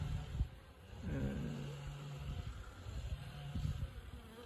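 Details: Honey bees from an apiary's second strongest colony, strong but consuming more stores and leaning towards brood rearing; a steady low hum with a drawn-out tonal drone and a few faint knocks.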